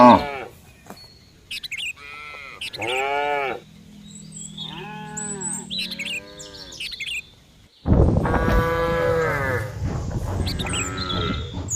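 Several cows moo in turn, with drawn-out, arching calls and a louder chorus near the end.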